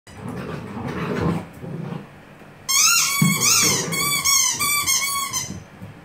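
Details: Eight-week-old Gordon Setter puppies playing with their mother indoors: low, rumbling growls at first, then a burst of high, harmonically rich whining yelps in quick, uneven succession before fading.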